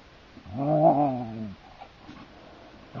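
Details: Siberian Husky play fighting with another husky on a heath: a single drawn-out, rich harmonic growl-whine about one second long, rising slightly then falling away, followed by quieter rustling and a brief soft grunt.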